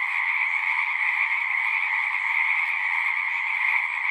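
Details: Dense chorus of many frogs singing at a pond in a horse pasture, recorded with a Zoom recorder; a steady, unbroken shimmer of overlapping trilled calls with two bright pitch bands, no gaps or other sounds.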